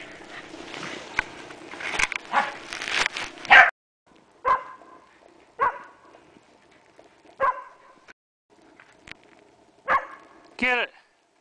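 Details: A female pet Pembroke Welsh Corgi playing frisbee during a January 20, 2011 snowstorm in Columbus, Indiana gives short, sharp barks spaced a second or two apart while a person talks.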